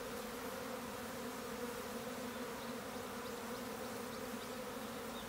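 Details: Swarming honey bees producing a steady, deep collective buzz, even and sustained, with a few faint, thin high ticks near the end.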